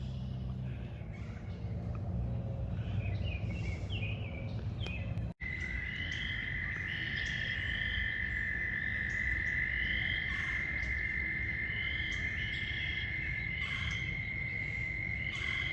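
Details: Toads giving a steady high-pitched trill in flooded spring woods at Busey Woods, the trill running unbroken for about ten seconds, with short bird chirps above it and a low traffic rumble throughout.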